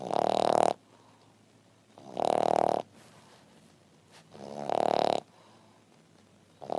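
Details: French Bulldog named Double resting and snoring after breakfast indoors; three loud, rasping snores, each under a second long, repeating about every two seconds with quiet breathing between.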